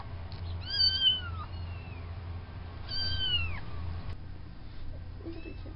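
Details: Farm kittens from a litter of four, three boys and one girl, at the fluffball stage: two clear high meows, each bending down in pitch, about two seconds apart, then a fainter call and soft rustling over a low background hum.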